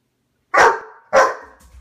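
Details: Great Dane barking indoors while trying to get a Siamese cat to play: two sharp, mid-pitched barks about half a second apart, then quiet.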